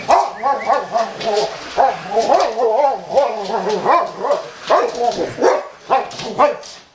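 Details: Boxer dogs reacting to a vacuum cleaner indoors, giving a steady stream of whiny, yelping barks that rise and fall about twice a second, voices overlapping with no pause.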